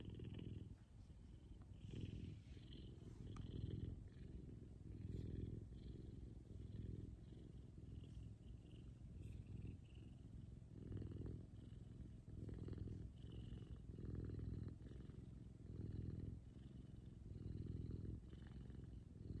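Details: F2 Savannah cat, a large pet, purring loudly while cuddling with its owner in the morning; a steady low rumbling purr pulsing in roughly one-second in-and-out breaths, close to the microphone, with faint rustling.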